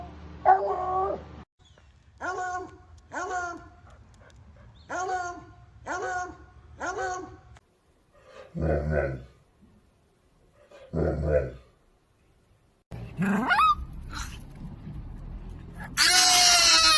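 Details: Dog producing an odd sound: five evenly spaced, harmonic yelping calls roughly once a second, then a few lower, muffled bursts and a noisy stretch at the end with human voices.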